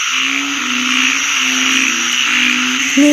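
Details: Frogs (อึ่ง, narrow-mouthed frogs) calling in rural Isan, Thailand, under overcast skies after rain that fell since morning; long, low, droning notes that overlap and slide slightly downward, a steady hiss of insects above, and a sharp knock at the end.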